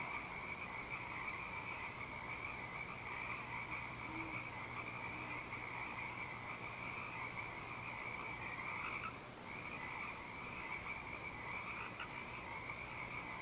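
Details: Frogs in full night song at Eaglecrest on 19 March 2012: a dense, continuous chorus of trilling croaks forming an unbroken wall of sound, briefly dipping near the middle, with an owl said to be hooting behind them.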